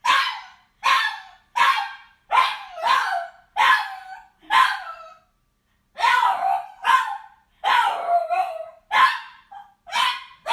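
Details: A frustrated dog barking and crying: a quick run of sharp, yelping barks, several with a whining tail that bends downward, about fourteen in total. Near-regular bursts, with one short pause halfway through.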